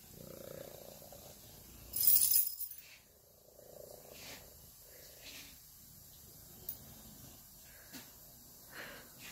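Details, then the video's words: Young female tortoiseshell kitten purring softly in short rumbling phrases, broken by a sharp rustling burst and a few faint clicks and handling noises. "She Purrs as Loud as He Snores"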